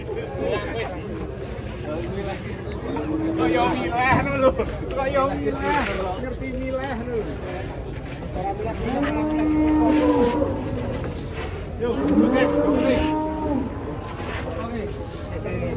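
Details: Big cattle being loaded onto a truck. Two long, deep, wavering moos come in the second half. Human talk and shouting run throughout, with some vehicle noise.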